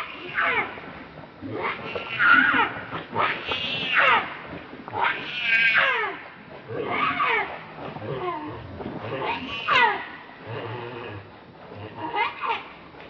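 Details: Monkey very angry, defending another monkey from a rival: a series of harsh, wavering screams and shrieks in irregular bursts, with some lower chattering between cries.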